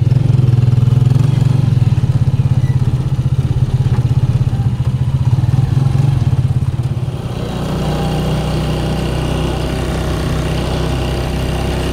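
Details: A loud motorcycle engine idles with a deep, steady throb, then its rumble changes and settles into a lower, rougher drone, with no animal voice heard.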